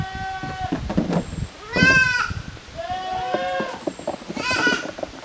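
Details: Goat kids on a handmade goat farm in Japan, 13 June 2023, playing in two teams in an exercise yard: several wavering, nasal bleats, some short and some drawn out, overlapping one another, with soft knocks and shuffling between calls.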